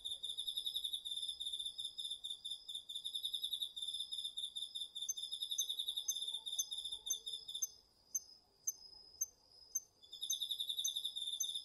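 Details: Crickets and other autumn insects in a garden field at night, captured on a DR-40X recorder: rapid, high-pitched pulsed chirping that drops out near the end, leaving scattered clicks, before the trilling resumes over a soft hush.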